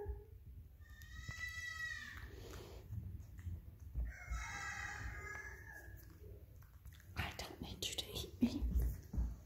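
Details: A baby goat, kept as a pet, calls out after losing sight of her owner indoors; two bursts of wavering, quavering bleats, with a woman talking softly to her and rustling movement nearby.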